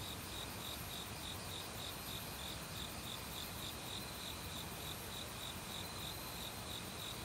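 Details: Autumn crickets in a forest, calling loudly since a week earlier among various other insects: a steady train of short, high chirps about three per second over a constant rushing of valley stream water.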